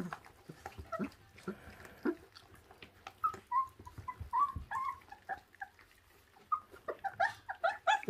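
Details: Twenty-six-day-old feral puppy eating raw food, giving a run of short, high whimpers and squeaks that cluster in the second half, over soft chewing and smacking noises and faint human voices.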